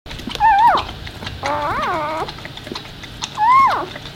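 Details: Newborn Labrador puppy, born while its mother was giving birth, staying near her and nursing; three clear whining cries, each rising then falling sharply, with short harmonic-rich whimpers between them and quiet room noise behind.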